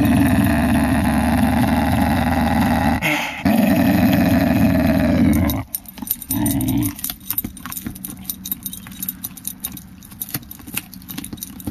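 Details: Female pet whippet growling: a long, low, rumbling growl for about five seconds with a brief pause near the third second, then a shorter growl burst, followed by scattered clicks and rattling noises.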